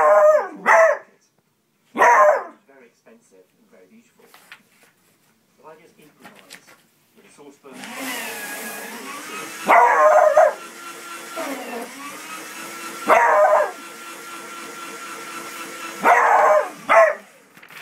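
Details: Four-month-old Beagle puppy screaming at a shredder: short, loud, strained yelping screams come in bursts every few seconds. A steady mechanical whirring runs underneath from midway, with some quiet clicks and voice sounds between the cries.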